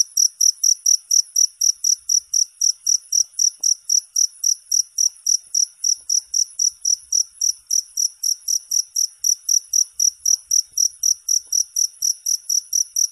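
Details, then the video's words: Cricket calling continuously with sharp, high chirps repeated roughly three and a half times a second in an even, unwavering beat. "Suara Jangkrik"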